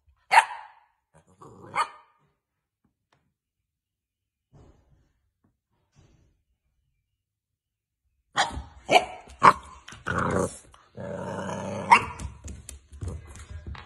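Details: Boxer puppies: two short, sharp barks near the start, a long quiet pause, then a burst of repeated barks mixed with scuffling and clattering noises over the last six seconds.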